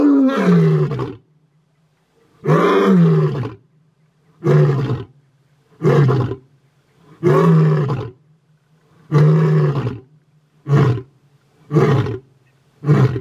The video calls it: Male lion ROARS!!